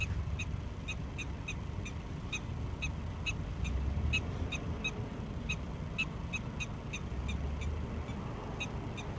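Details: Prairie dog chattering back at its owner, a long run of crisp, high chirps repeated quickly, sometimes in pairs, over a soft low rumble of background noise.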